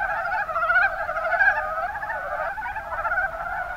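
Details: Mountain brown frogs in the Kuma Basin, Kumamoto, Japan, making a dense, continuous chorus of rapid, pulsed, mid-pitched croaks with many notes overlapping and no pause.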